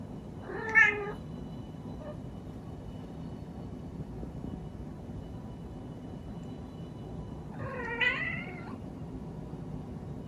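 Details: A female Munchkin cat gives two drawn-out, harmonic meows several seconds apart, calling for attention.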